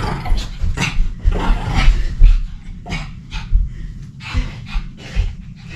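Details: An energetic pet dog at play pants rapidly. Rough, airy huffs repeat about two or three times a second, unevenly spaced, over steady low-frequency handling noise.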